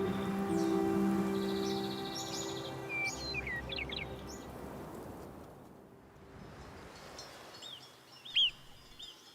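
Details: Marmots give sharp, high, down-slurred alarm whistles above the treeline in the Alps, a few quick notes with one loud whistle near the end, signalling a big bird such as a bearded vulture overhead. Soft music plays at first.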